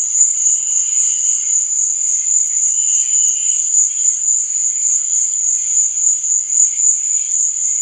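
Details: Crickets at night, a steady, unbroken high-pitched trill holding one shrill pitch throughout, with faint softer wavering tones drifting underneath.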